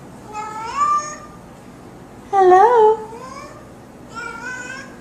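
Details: Pet cat greeting with three separate meows spaced about two seconds apart, the middle one loudest and wobbling in pitch, while a person repeats hello.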